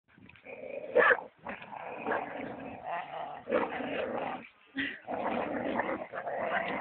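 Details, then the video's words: Belgian Malinois named Kopa, growling and barking in rough, noisy bursts that run almost without pause, with brief gaps near one and a half and four and a half seconds; the sound is muffled, lacking high tones. "Malinois KOPA"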